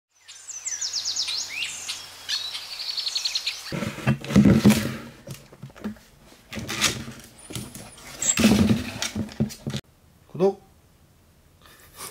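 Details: An 88-day-old Jindo-Shiba mix puppy (Canis familiaris) whines in thin, high, wavering tones while struggling with his first giant milk bone chew, then gnaws noisily on it.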